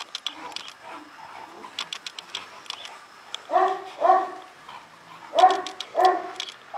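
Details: Livestock guard dog of the Illyrian Shepherd breed from Albanian lands, heard as four deep, resonant barks in two pairs in the second half, after a lead-in of soft clicks and faint distant barking.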